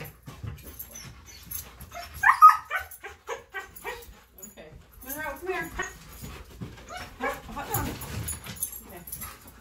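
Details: Two dogs, Tonka and Monroe, so excited before a morning bikejoring outing that they can't sit still for their leashes: whining, yodel-like harmonic calls rising and bending, mixed with a person's excited talk asking if they're ready to go.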